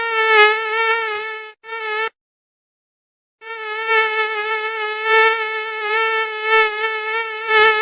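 A mosquito's high, thin whine, steady with a slight waver, breaking off briefly before resuming.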